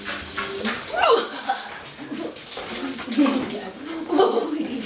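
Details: Wheaten greeting from a pack of five Soft Coated Wheaten Terriers: short swooping whimpers and yips that rise and fall, coming in bursts around one and four seconds, overlapping with people talking.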